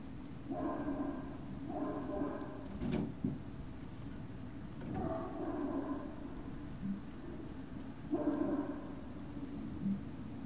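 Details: Great Dane puppies at Puppy Hill on the evening of 19 February 2019 give four bursts of harmonic, whining yelps, each about half a second to a second long, with a brief clatter in between against a low steady hum.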